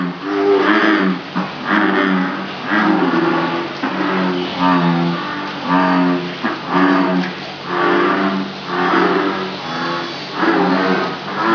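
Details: Farmed bullfrogs at Jurong frog farm, Singapore, give deep, moaning, harmonic croaks. The croaks repeat roughly once a second in an overlapping chorus of several frogs, each note swelling and fading, with no other sounds standing out.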